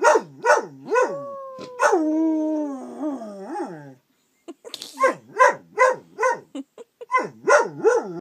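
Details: Dog named Angus howling: rhythmic rising-falling yowls about twice a second, a sustained descending howl in the middle, then another series of bouncing, barking howls after a short silence.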